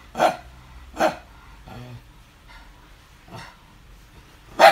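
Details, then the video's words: Domestic dog barking in the morning on 5 July 2019; three sharp, loud barks spaced unevenly, with a couple of fainter bark-like bursts between them and quiet background. "barking in the morning"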